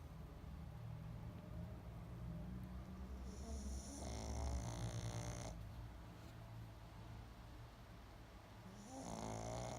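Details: Pug snoring in its sleep, a steady low rumble swelling into two louder raspy, fluttering snores with airy hiss, one near the middle and another starting at the end.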